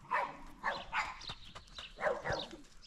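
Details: Dogs barking at a stable with horses on a small ranch, after someone warns that they will bark: a quick run of short, fairly faint barks in two bursts over three seconds.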